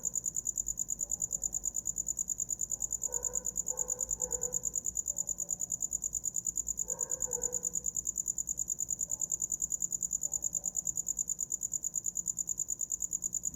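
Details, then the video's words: Cricket chirping for sleep: a steady, high-pitched pulsing trill repeated rapidly and evenly throughout, with faint low murmurs briefly in the background. "Som de grilo para dormir"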